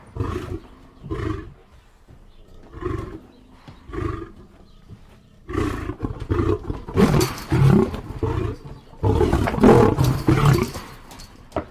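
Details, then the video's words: A lion gives spaced low grunting roars early on, then a denser run of louder, harsher roars overlapping toward the end. "lion sounds"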